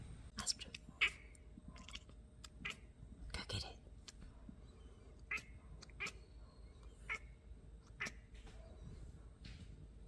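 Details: British Shorthair kittens Luna and Astra 'talking' to a bird, Luna interrupting Astra's bird conversation; short, sharp chirps and clicks come in irregular bursts about every one to two seconds over a quiet background.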